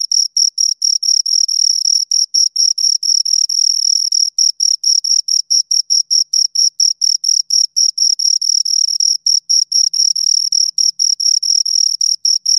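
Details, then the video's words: A pair of crickets chirping at close range: shrill, ringing pulses about two per second, fairly even rhythm, occasional overlapping chirps, nothing else audible. "Two Crickets Chirp Sounds for Two Hours Right on Your Ears"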